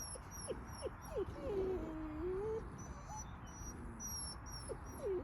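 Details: Wolf pups of two kinds, an Arctic pup and a Canadian-Arctic pup, meeting: short sharp whines and yips, then a long wavering whine that dips and rises, with brief rising whines near the end over soft background hiss.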